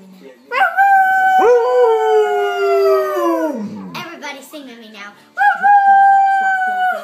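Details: Female Alaskan Malamute indoors, howling along with the owner's daughter: a long, smooth, tonal howl that slides gently downward, a short break with a woman's voice, then a second steady, rising howl.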